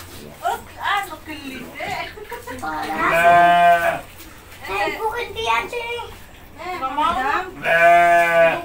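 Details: Brown goat named Bruno, fed by a young boy while his mother holds back, bleats twice in long, buzzy, tremulous cries, mixed with lively Indonesian talk from the child and adults.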